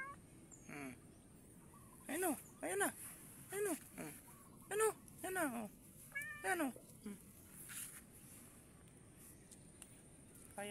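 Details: Domestic cat with a snake it had caught; a series of about nine wavering meows spaced roughly half a second to a second apart, fading out, with soft talking and faint outdoor noise behind.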